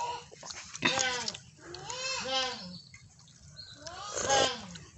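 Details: Goat giving a few nasal, quavering bleats, one long and wavering in the middle, with clatter and a brief voice around them.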